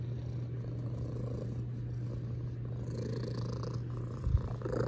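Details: Domestic cat purring loudly, a steady low rumbling drone that holds evenly throughout with no pauses, a brief soft bump near the end; indoor, no other voices.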